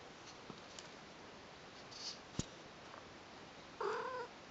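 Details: Newborn Persian kittens, a brother and sister, on their first day with their mother, Lucy and Kimba: one short, slightly wavering mew near the end, after a few soft clicks and a knock, over a quiet hiss.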